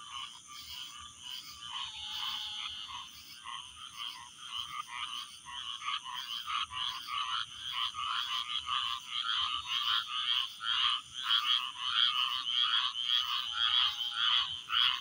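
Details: Chirping frogs, a loud chorus of short high chirps repeated roughly twice a second in an uneven but steady rhythm, growing louder and more insistent over fifteen seconds.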